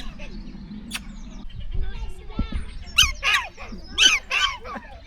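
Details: At Cotswold Wildlife Park, a UK zoo, black-tailed prairie dogs give jump-yips: four sharp, squeaky, high yips in two quick pairs, after a man speaks briefly.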